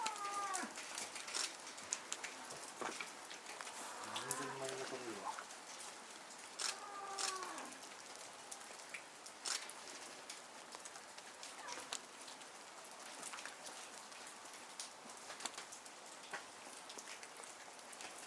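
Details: Captive snow leopard mother Jima at Asahiyama Zoo, Japan, in November 2019, calling from an overhang, apparently to her cub Yuri, born July 2019. Two drawn-out, moaning, arched calls come about three seconds apart, over steady clicking and tapping noise.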